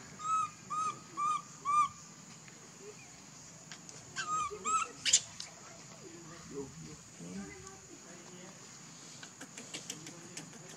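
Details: Baby monkey Leo, hungry and begging its mother for milk but rejected, cries in four quick whining arched squeals within two seconds, two more squeals follow a little later, then softer rustling and clicks.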